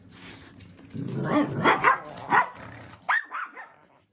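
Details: Shiba Inu named Momotaro, stuck after climbing up and unable to get down, whines in distress: a run of rising and falling nasal whimpers over about two seconds, then a few higher squeaky whines before falling quiet.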